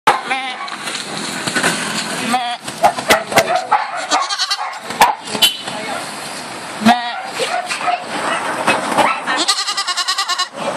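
Several goats give quavering, nasal bleats, some with a fast tremble near the end. People talk throughout, and the bleats overlap a steady backdrop of voices and bustle.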